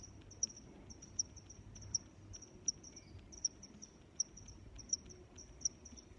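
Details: High, crisp cricket chirps pulse at an even pace, about one every 0.7 seconds, with softer chirping between them over a quiet low rumble.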